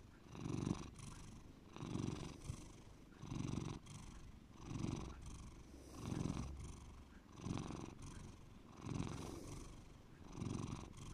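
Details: Bear, a pet cat, purring deeply: low rumbling pulses swelling and fading in a steady breathing rhythm, about every one and a half seconds, with soft airy breath noise between swells in a quiet room.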